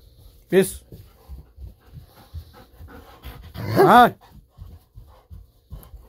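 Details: Golden Retriever Bis, indoors, barking with excitement while waiting for a fish-sausage treat: two loud, harmonic barks about three seconds apart, with soft panting and shuffling between them.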